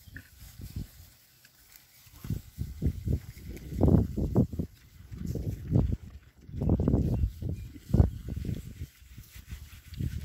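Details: Berkshire pigs exploring their new paddock: low, throaty grunts in clustered runs with brief pauses, strongest around the fourth and eighth seconds, set against quiet outdoor air.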